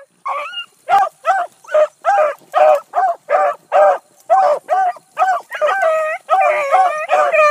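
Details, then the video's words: Close Bluetick Coonhounds drive a rabbit early on a July 2012 morning. Loud short bays come quickly, about two each second, and near the end they stretch into longer, wavering howls from more than one dog. "THE BLUE'S ON A BIG RUNNING RABBIT 7-22-12"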